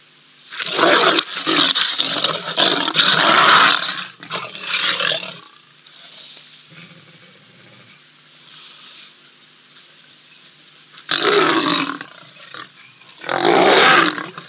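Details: Wild lions at Ol Donyo, a grumpy older lion picking on a younger one: loud harsh rasping snarls and growls in bursts over the first five seconds, a quiet pause, then two more snarling outbursts near the end.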